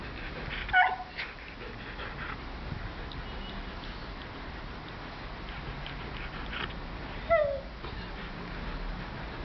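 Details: Siberian Husky whimpering because he wants his sausage toy: two short, high, falling whines, one early and one near the end, several seconds apart, with quiet room noise between them.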